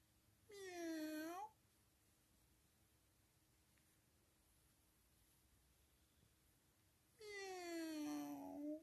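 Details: Indoors, a friendly, playful cat gives two long meows separated by about six seconds of near silence, the first rising at its end, the second gradually falling.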